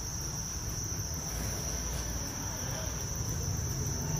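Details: Dense steady high trill of many Thai crickets raised on a farm, unchanging across the recording, beneath which runs a low rumbling noise.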